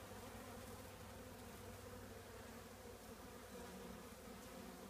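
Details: Honey bee colony living in an old trash can, a steady droning hum of many wings with a low, even pitch and faint higher overtones, over a deep rumbling background noise.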